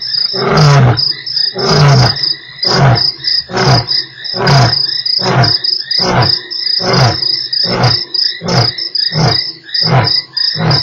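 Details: Lion at Nkorho, 3 March, one of eight roars in an hour: a roar's closing run of short, deep grunts, about one per second and slowly fading, with crickets chirping steadily high above.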